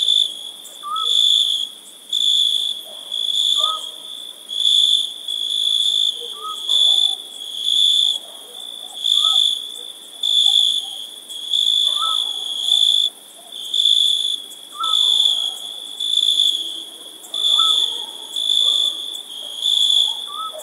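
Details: Summer night ambience: crickets give high, shrill chirps in pulsing bursts, roughly one per second, over a steady ringing trill. Cricket.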